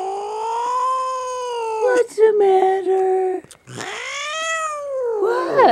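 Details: Pet cat hiding under a chair and resisting being pulled out, giving sustained, wavering caterwauls that swell and dip, followed by a rising, strained wail, while a person murmurs softly.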